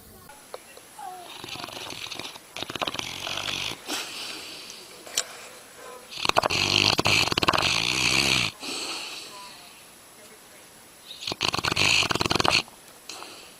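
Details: A sleeping dog snores in loud, rasping, breathy bursts, each lasting one to two seconds, with three long snores separated by quieter pauses of soft breathing.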